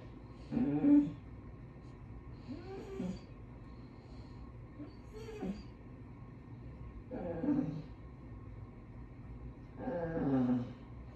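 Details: Spoiled basset hounds indoors complaining, again, as they ask for dinner: five drawn-out, moaning whines with a wavering pitch, spaced every two to three seconds, in a quiet room.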